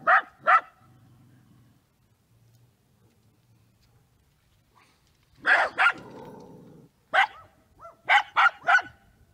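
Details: Scottish Terriers at home giving sharp barks in short bursts: a pair at the start, then clusters after a pause, irregularly spaced, with a faint low hum between them.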